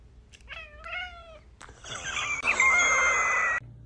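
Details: Cooter, a pet cat called a talking kitty, gives a rising then falling chatty meow, then a longer strained, buzzy yowl held for about a second, indoors with little background noise.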